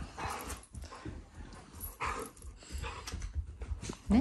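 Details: Shiba Inu family dog growling out of affection, not anger, toward its owners at home; low rumbling growls and grumbles in uneven bursts while a woman talks to it in Japanese.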